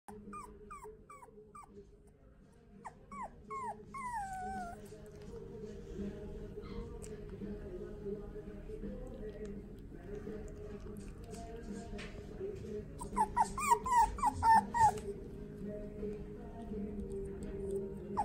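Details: Toy poodle at a pet shop in Omihachiman, giving high, whining whimpers that slide downward. Short bursts come at the start, then a denser run of sharp yelping cries near the end, over a steady low indoor hum.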